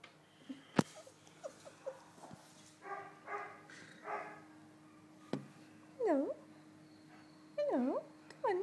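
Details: Jack Russell terrier at a Manchester dogs home, jumping up and down; soft barks early on, then loud rising-and-falling whines repeated several times near the end, with thumps and a man's voice nearby.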